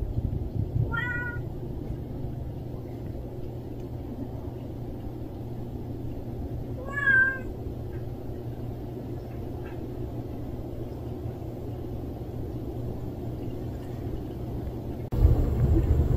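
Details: A stray cat lets out two separate wavering meows about six seconds apart against a dull low background rumble, ending with a sudden burst of broadband noise.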